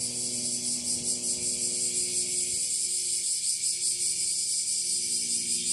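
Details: Bear cicadas singing at full power in northern Kyushu, Japan, late July 2023 at the end of the rainy season: a continuous shrill pulsating buzz, rapidly throbbing, with faint low tones underneath.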